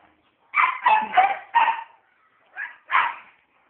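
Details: Pet dog barking indoors, four quick yappy barks in a row, then a pause and two more, clean and close, with a person calling the dog just before.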